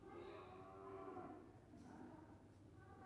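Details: Calf lowing indoors, a harmonic moo for about a second and a half, then a fainter, wavering tail of the call, against a steady low room hum.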